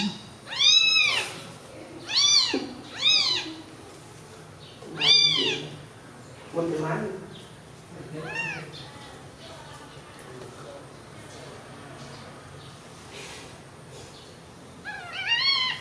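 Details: Newborn kittens sleeping side by side after feeding let out a quick run of sharp, high mews in the first seconds, then quieter scattered cries with soft voices in the background, and one last mew near the end.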